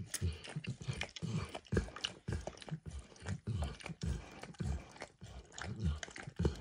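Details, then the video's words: Emperor Max, a dog, laps eagerly at a bumpy orange mat spread with eggs and diluted peanut oil; rhythmic wet licks and soft mouth clicks follow each other every half second or so in a small quiet room. "Max Licks | ASMR Dog Licking | Max & The Orange Mat"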